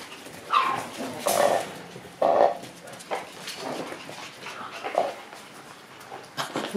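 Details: A lively group of Shiba Inu puppies: short high yips and squeaky whimpers in scattered bursts, some sharp and noisy, with rustling movement in between.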